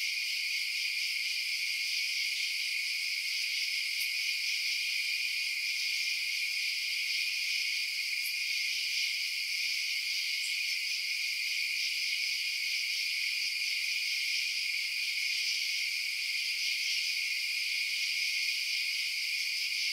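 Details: At night, a steady chorus of chirping crickets rings high and continuous, with a few faint sharp clicks scattered through an otherwise unchanging insect drone.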